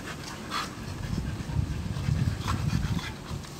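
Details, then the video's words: Two Boxer dogs, Toto and Cherry, playing together as pets: quick, low, breathy panting huffs in an uneven run, with soft scuffling and a few faint sharp clicks above. "That's how the Boxer dogs playing"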